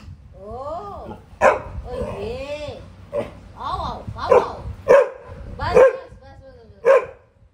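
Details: Pet Labrador named Max, indoors with his family in Delhi, barking at the scent of another dog outside while playing with his mother; single loud barks recur every second or so, interleaved with her soothing, coaxing speech.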